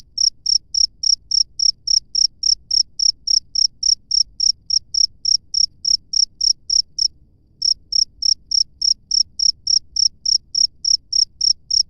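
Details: Cricket recorded in the wild, giving a long run of sharp, high chirps at a brisk even pace, roughly three and a half per second, broken once by a brief pause before resuming; low faint rumble beneath.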